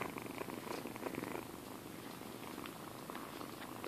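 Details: Rescued kittens about six or seven weeks old, in Alturas, California, purring before their shots: a soft steady rumbling purr held throughout, close up, with faint handling noise.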